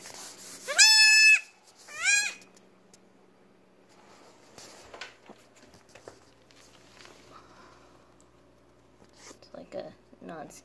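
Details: Syringe fed with colostrum at just over six hours old, a female Nigerian Dwarf goat kid that cannot yet stand gives two high, wavering bleats, followed by rustling, handling noises and a woman talking quietly.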